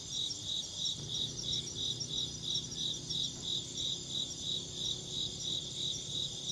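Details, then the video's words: Chirping insect giving evenly spaced high pulses, roughly one and a half per second, over a constant shrill insect hum and soft low-pitched background noise. "Insect chirping sounds"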